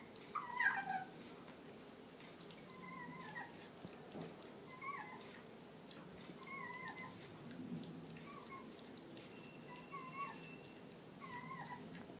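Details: Puppy in his crate, enjoying a sweet potato treat, gives thin high whimpering whines that bend up and down in short wavering notes, repeated every second or two with brief pauses; quiet indoor background.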